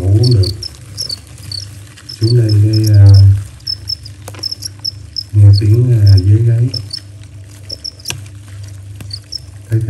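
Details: Crickets chirping in a garden late at night, around half past eleven; short, high, scattered chirps over a steady low hum, with a man speaking Vietnamese in several bursts.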